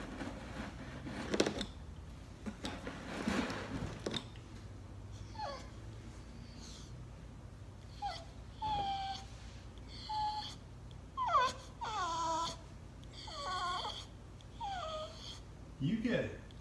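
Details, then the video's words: Dozer the Bulldog crying indoors in a small room: after a few soft thumps, a run of whiny, wavering cries, some short and clipped, others drawn out and bending up and down, with a person talking to him about his rope. "Funny Bulldog - Cry Baby! Cry Baby!"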